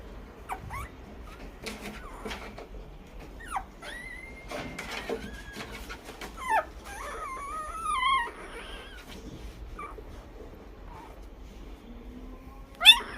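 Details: Newborn Labrador Retriever puppy indoors in a small room, yawning: short high squeaky whimpers and rising, wavering thin cries scattered through the quiet, with soft rustling and a sharp louder squeak at the end.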